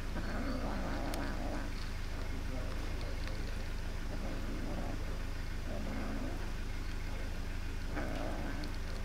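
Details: An angry, hungry black kitten grabs all the food from two other kittens. Repeated short, throaty growl-mews come in clusters over a constant low droning background.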